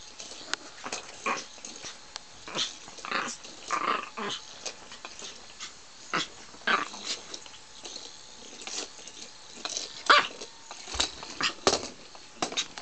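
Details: A brave female dog in a fight, rough snarls and growling bursts alternating with sharp clicks and snaps, uneven spacing, with a few dull knocks near the end.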